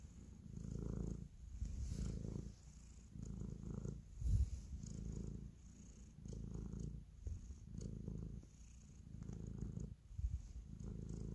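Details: Domestic cat purring while kneading, a show of affection; deep rhythmic rumble pulses in repeated swells about once a second across the stretch, with a single soft thump midway.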